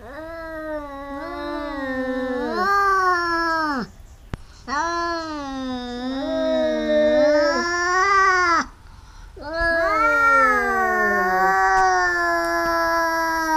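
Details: Domestic cats fighting, biting each other repeatedly: long wavering yowls with rich harmonics, rising and falling, in three drawn-out bouts separated by brief pauses.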